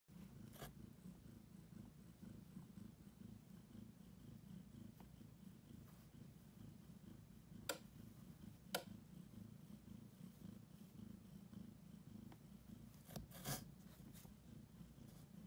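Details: Pet cat named Annie close to giving birth, purring heavily while kneading the air; a steady low continuous rumble runs throughout, with a few sharp clicks and taps in a quiet small room.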